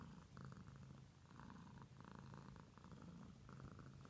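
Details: Pet cat giving a continuous low purr, soft vibrating rumble broken into rhythmic surges about once per second, the breathing cycle audible as alternating stronger and weaker phases.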